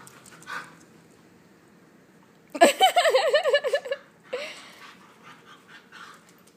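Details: Husky, Chihuahua and Lab mix pup wrestling gives a loud, wavering, yodel-like howl for over a second, pitch rising and falling several times, then a brief yelp and soft breathy sounds.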